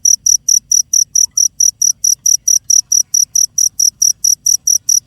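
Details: Insistent high chirping from a cricket: crisp, metallic pulses repeated roughly four times a second in a steady, even beat. The background is quiet apart from a low hum.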